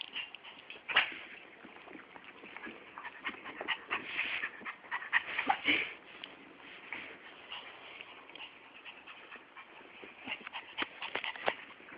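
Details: Fiyero, a male Chihuahua-Miniature Pinscher mix pet dog who craves constant attention, pants in rapid, rough, breathy bursts throughout, with occasional sharper whimpering squeaks and a louder puff near the middle.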